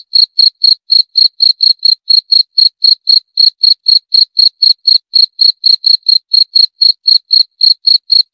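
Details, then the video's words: Steady cricket chirping: crisp, high, clicking pulses repeated about four times a second without pause, slightly uneven spacing, against a silent background. "26 Menit Suara Jangkrik - 26 Minutes Cricket Sound Effect"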